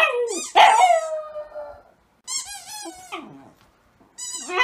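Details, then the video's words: Indoor rescue dog howling like a wolf with her squeaky toy: a long, drawn-out falling howl, then two shorter wavering howls after brief silences. "WHY DOES LUCY HOWL LIKE A WOLF???"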